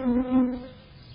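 A bee gives a steady, low droning buzz that swells twice and then fades.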